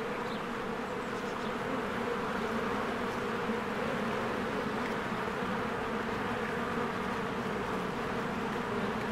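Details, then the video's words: Swarms of honeybees working around a cozy hive as trees green in spring; unbroken buzzing drone holding steady throughout, with a thin high chirp early on. "1 Hour of a Beehive ASMR"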